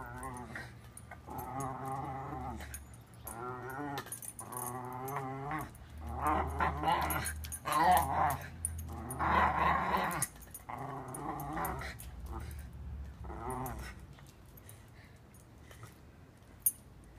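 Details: Playful Welsh Terrier Shiloh growls steadily over a water bowl, a run of wobbling, whiny-edged rumbles repeated every second or so, louder in the middle, then fading to quiet clatter near the end.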